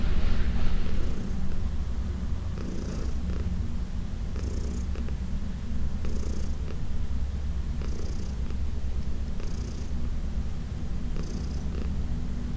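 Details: Heidi, a 14-year-old shelter cat from the Humane Society of New York City, keeps up a low, throbbing purr during massage, with breathy hisses repeating roughly every one and a half seconds.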